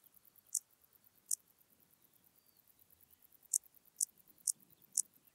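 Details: Dociostaurus brevicollis grasshopper recorded at Zalahalap, Hungary, on 18 July 2022: a handful of brief, sharp, high ticking pulses, spaced irregularly, over a quiet, faintly hissing background.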